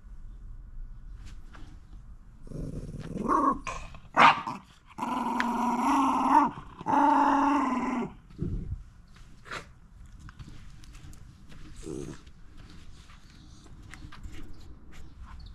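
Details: Momo, a round Shiba Inu living in a backyard, grumbles on 21 January 2023 in winter sunshine while refusing to finish her food; voiced, moaning growls swell between three and eight seconds, then fade, with one short grumble later.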